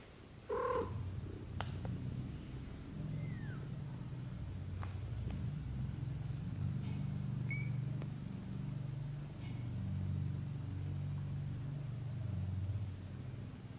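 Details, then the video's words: British shorthair kittens, black golden and blue golden, growing up from birth to thirty days with their mother: one short, loud mew with stacked harmonics near the start, then a steady low rumbling purr for the rest. "How kittens grows up: from 0 - 30 days!"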